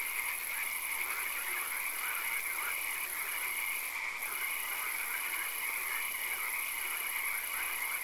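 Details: A chorus of frogs in a swamp at night with occasional rain: densely packed short croaks repeat without pause, layered beneath a continuous piercing high tone that briefly cuts out midway, over steady hiss.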